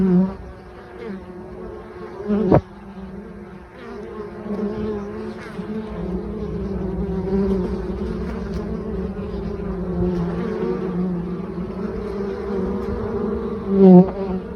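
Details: Many honey bees bringing mustard pollen on 9 October, before 11 a.m., foraging non-stop: a dense, steady buzzing drone with overtones throughout, changing in loudness as bees fly by, with a sharp knock early on and a louder close pass near the end.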